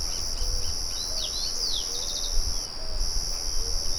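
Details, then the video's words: A continuous high-pitched chorus of crickets, with a windmill murmuring in the background. Bird twitters and quick chirps are mixed in, and the cricket sound breaks off briefly near three seconds over a low, rumbling bed. "Sonido de Grillos"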